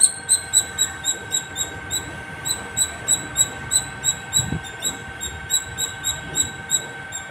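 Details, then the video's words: Repetitive high-pitched chips from a squirrel at the top of a terrace, evenly spaced at about three to four per second, with a low continuous hum and a soft thump midway. "Non stop singing squirrel 🐿️ at the top of my terrace"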